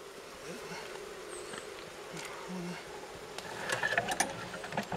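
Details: Wild honey bee colony being moved from a forest nest on a fallen tree into a hive near Kiev, Ukraine, after smoking. A steady low hum runs throughout, with voices speaking Russian and clicks near the end.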